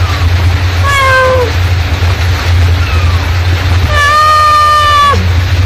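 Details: Mother cat summoning kittens: a short falling meow, a couple of faint brief mews, then one long, level, strongly harmonic meow near the end, over a persistent deep rumble.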